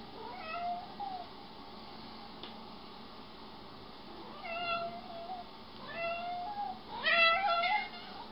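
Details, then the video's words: Domestic cat said to be acting jealous, meowing four times in drawn-out, rising-then-falling cries with bright harmonics, spaced a few seconds apart and growing louder toward the end, with a quiet room background. "Cute cats feel jealous Funny jealous cats compilation"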